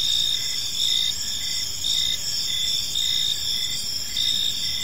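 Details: Crickets in a park at evening: unbroken high trilling from several insects, short pulses rising and falling roughly every second, with light low-frequency ambient hum.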